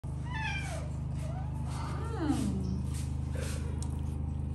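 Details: House cat, one of several cats living indoors alongside exotic animals, gives two drawn-out meows that slide downward in pitch, the second lower and rougher, over a constant low droning hum.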